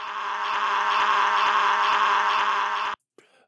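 A walrus gives a long, harsh, steady scream lasting about three seconds, then stops abruptly.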